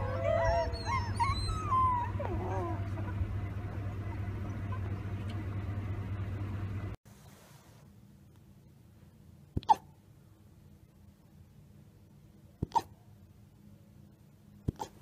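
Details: Young wolf pups howling: several high, wavering, curving tones overlap for about three seconds over a steady low hum, then fade. After a sudden cut, near silence follows, broken by three sharp clicks.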